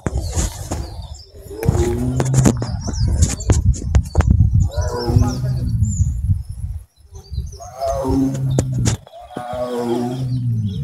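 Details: At Jharkhali park in the Sundarbans, India, a captive Royal Bengal tiger walks and gives deep, rumbling roars in repeated heavy bursts while a man talks nearby; a 20-year-old female is also present.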